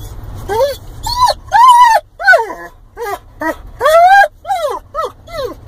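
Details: Excited Weimaraner mix in a car headed to a cabin gives a run of nasal, bending whines, each rising then dropping, about every half second to second, over low road rumble with a human voice nearby.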